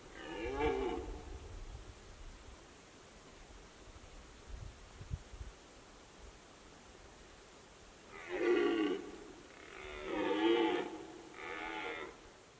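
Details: During the red deer rut in the Fatra mountains, a single harsh roar opens, followed by a long quiet stretch with faint low knocks, then three hoarse bellows in quick succession near the end.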